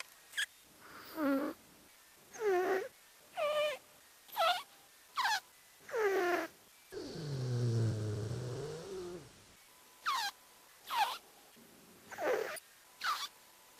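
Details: Cat filmed on the sly while snoring, played five times faster so it resembles farting: a run of quick squeaky chirps, a long low rumbling buzz in the middle, then more short chirps.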